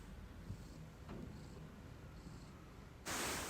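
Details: Domestic cat contentedly snoring and purring on a freshly washed blanket, a quiet, steady low rumble pulsing throughout, cut off near the end by a short loud burst of rustling.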